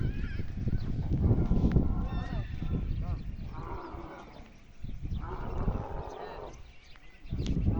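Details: Loud camel crying with a heavy rumbling, low-pitched base. Two drawn-out, wavering moans rise above it midway through the recording.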